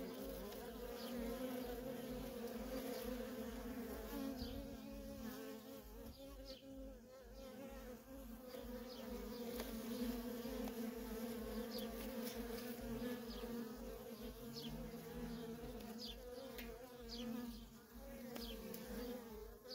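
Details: Steady buzzing of worker honey bees streaming in and out of a feral colony, the low drone swelling and easing over twenty seconds, scattered faint high chirps overhead.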